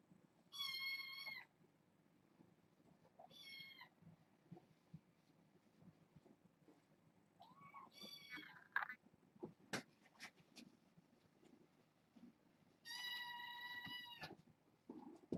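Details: Young kittens from a litter of six, four females and two males born August 29th, at bedtime indoors: high, thin harmonic meows in four separate bouts of about a second each, among soft rustling and sharp clicks.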